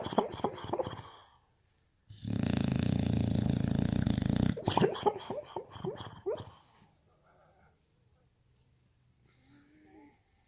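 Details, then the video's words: Sleeping Boxer named Olaf snores as he dreams: one sustained, deep, rattling breath of about two seconds, framed by softer snuffles and quiet human voices before and after. "Olaf, the snoring dreaming boxer dog!"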